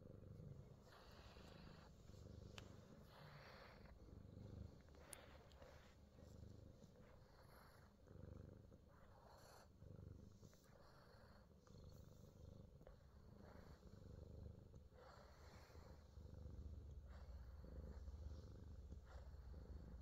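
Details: Himalayan Persian cat Fat Boy, in New Zealand, purring softly through a full body massage; a low, even rumble under intermittent rustling and rubbing noises from the massage.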